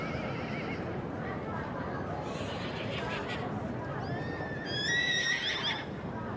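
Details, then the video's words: Welsh Cob colt, three years old, giving a loud, shaky whinny with strong vibrato near the end. A brief wavering cry opens the recording, with human voices and constant background noise in between. "Cobiau Cymreig Ebol 3 | Welsh Cobs Colt 3 yr old"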